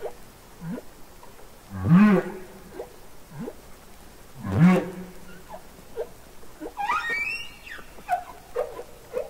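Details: Underwater song of wild humpback whales from the Capitol Records ST-620 recording: two loud, low groaning units about three seconds apart, each with a rising upsweep, followed by softer chirping, squeaky upward notes and scattered short grunts.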